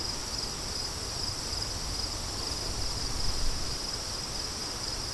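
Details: Crickets heard in wind, giving a continuous high, pulsing chirr that holds steady while heavier gusty wind rumbles underneath and swells briefly near the end.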